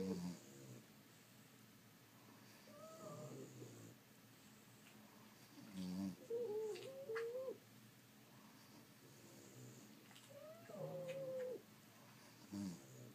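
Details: French Bulldogs asleep, snoring in uneven breaths; several snores end in a high whistling squeak that bends up and down, with near-silent pauses between.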